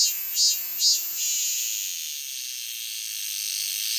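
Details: A cicada ends two loud pulsing beats, then holds a long even high-pitched buzzing drone without breaks.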